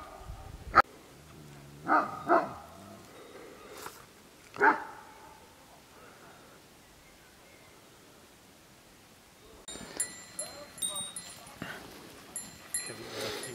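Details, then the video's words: Dog barking at sheep; four or five short, sharp barks sound in the first five seconds, then a quiet gap, followed by clinking, bell-like sounds and rustling. "latră oile"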